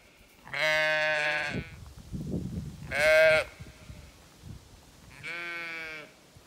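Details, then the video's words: Zwartbles sheep flock on a regenerative farm in County Kilkenny, Ireland, complaining in unusually high midday heat despite a full water tank; three loud, harmonic, wavering bleats spaced about two seconds apart, with rustling between them. "Checked flock in heat of day - water tank fine, yet they still complain"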